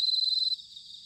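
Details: Bell cricket in autumn, Sanuki, Chiba, Japan: a single brief pure ringing note, high and clear, fading into a softer background chorus of insects after half a second.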